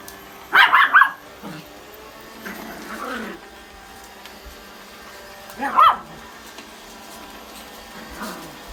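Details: Pomeranian and Chihuahua playing a chasing game around a vacuum cleaner indoors. Two sharp bursts of high yapping barks about five seconds apart, with faint background music.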